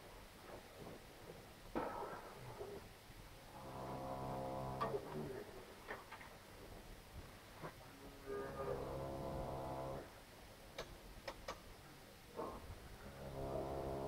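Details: Problem heifer in labour at a farm in Poland gives three drawn-out, low, harmonic moos spaced several seconds apart, with scattered clicks, rustling and knocks from the birthing pen between calls.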